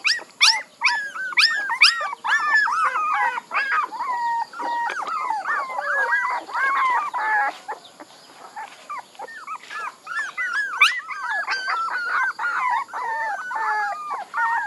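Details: A group of puppies keeps up a dense, squeaky whining chorus. Rising-and-falling whimpers pile over one another, ease briefly near the middle, then build again into crowded high yelps.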